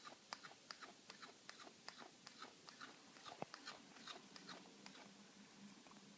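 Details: A household cat enjoying a bit of steak with a peculiar chewing noise: loud, crisp clicking bites come fast and slightly irregular, roughly two and a half per second, with one sharper snap near the middle.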